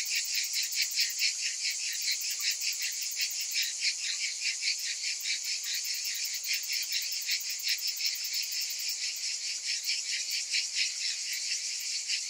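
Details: Cicadas during summer: an unbroken, high-pitched rasping wall of sound, beating rapidly and evenly over twelve seconds, with a thin ticking edge at the very top.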